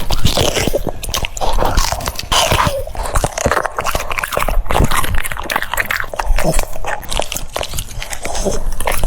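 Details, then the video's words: Crunching and mastication from a French Bulldog eating cucumbers: sharp, juicy snaps and grinding chews, bright and crackly, with a continuous moist hiss between bites. "The sound of chewing cucumbers"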